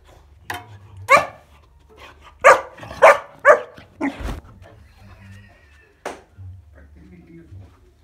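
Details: Kuvasz puppy named Bowie, 14 weeks old, indoors playing with a scale; several short barks and yips come in an uneven burst over the first five seconds, one more bark later, with speech mixed in and a small-room hum.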